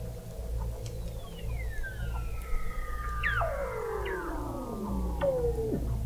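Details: Weddell seals recorded in November 2017 by the McMurdo Oceanographic Observatory, 21 m beneath sea ice in McMurdo Sound, Antarctica: long eerie descending whistles gliding down over several seconds, overlapping sweeps and a steady low rumble beneath.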